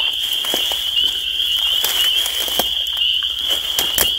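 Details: Spring peepers calling as a dense chorus, their high peeps merging into a steady shrill band throughout, with scattered sharp clicks and crackles.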